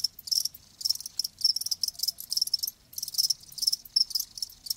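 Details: Live crickets chirping in bright high trilled bursts, each about a quarter second long, grouped in runs with a pause near three seconds, faint low hum beneath.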